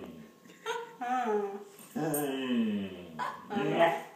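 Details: German Shorthaired Pointer 'talking' and seeming to say 'please' while asking for something: drawn-out moaning whines in several phrases, one sliding down in pitch, with a person's voice speaking alongside.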